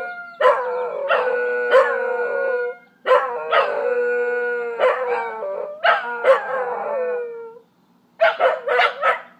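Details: Scottish Terriers singing together: long, sustained tonal howls, steady then sliding, rising and falling in overlapping bursts with short breaks, ending in a rougher volley of yelping howls.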